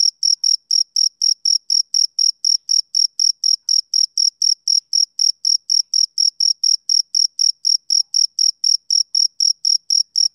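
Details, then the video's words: High, ringing chirps from a male cricket on a summer evening, repeated evenly about four times per second throughout, a clean and steady rhythm with nothing else heard. "Cricket Chirping Sound Effect"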